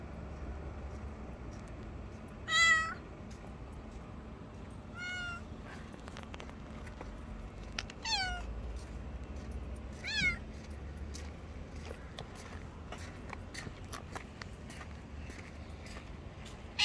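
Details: A grey and white cat under a bench, meowing: four short, bright, harmonic-rich meows spaced a few seconds apart, each dipping at the end, with quiet background rumble and faint clicks.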